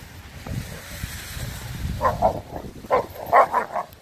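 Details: Renaissance Bulldogge pack at play: adult dogs disciplining Rekkr, a 10-month-old pup, for playing too rough. A low rumbling opens, then about six short, sharp barking bursts come in quick clusters over the final two seconds.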